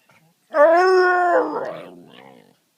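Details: A male Siberian Husky, being chatty, gives a drawn-out, tuneful howl-like moan that wavers and breaks into a rough grumble.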